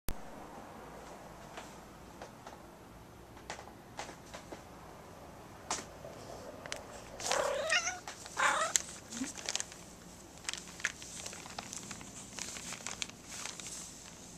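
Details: Mischief, a pet cat, lets out one drawn-out wavering yowl midway, rising and then sliding down, among scattered clicks, taps and soft household knocks before and after.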